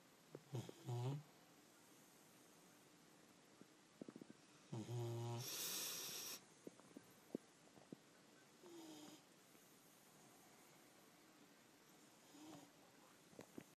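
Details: A pet dog snoring: short snorts and low rumbling breaths, then one loud, harsh, rasping snore of about a second and a half midway, followed by softer scattered snuffles and quiet breathing.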